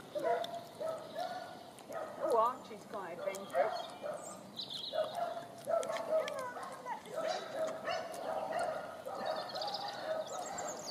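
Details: Nine-week-old Dandie Dinmont Terrier puppies romp in a garden with their mother and grandmother, giving repeated high, overlapping yips and whining squeals; human voices run underneath, with faint bird chirps higher up.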